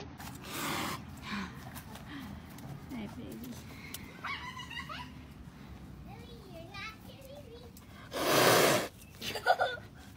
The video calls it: Caracal Hissing 😬